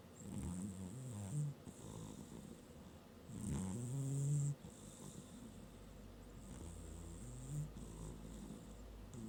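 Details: Domestic cat napping on a working desk, snoring in low rumbling breaths with a soft airy hiss on each breath, strongest bursts near the start and around four seconds, uneven spacing.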